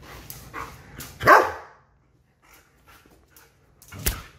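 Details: German Shepherd offered apple or watermelon gives a single loud bark, with a short faint sound about three seconds later and quiet room noise between.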